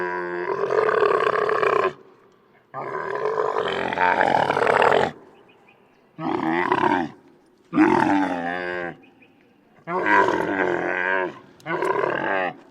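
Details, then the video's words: Camel grunting loudly outdoors: six harsh, harmonic bursts of one to two seconds each, some wavering and gargling, separated by short silent gaps. "Camel Grunts Loudly In Nature"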